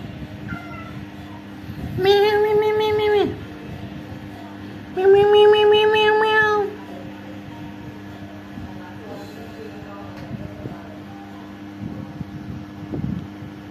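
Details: Two long, drawn-out meows from orange cats that came to a home, each held steady for over a second, separated by a short pause, then quiet rustling and faint household hum.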